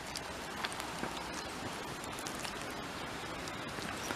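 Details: Dense, hissing broadband noise like steady rain or wind on a microphone fills every moment, with only faint scattered ticks and no animal calls.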